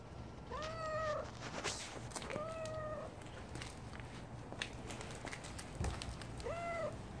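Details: Stray calico cat outdoors in winter, giving three clear, drawn-out meows, each rising then falling, spaced a couple of seconds apart over a steady low background hum.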